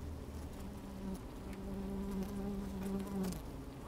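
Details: Inside an opened beehive on a sunny, slightly windy day, honey bees move about: continuous low hum with a clearer buzzing tone swelling in the second half, plus faint crackling movement.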